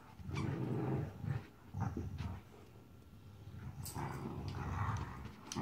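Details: Marvel, a puppy aged 14 weeks, playing; a few low growls in the first second and a half, then quieter grumbling and soft rustles, a louder burst near the end.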